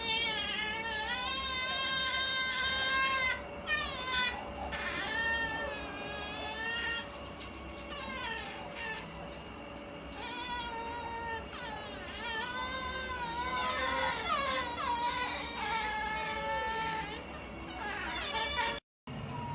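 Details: Two otters, Maiko and MaiJi, making funny noises as they grow sleepy: overlapping high, wavering, harmonic whines and squeals, rising and falling in irregular bursts almost without pause, over a low indoor hum.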